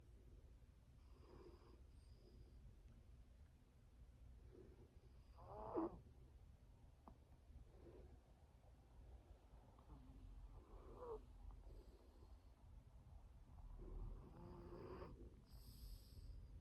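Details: A pet dog called Mali snoring: soft breathy snores rise every few seconds over a steady low rumble, with one louder snort near the middle and faint high tones in the background.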